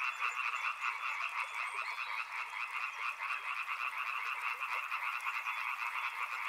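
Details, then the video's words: Short burst of a loud frog chorus at a river, crowded fast croaks stacked in two bright bands, unbroken from start to finish. "Frog Sounds | Soothing sounds of river and frogs"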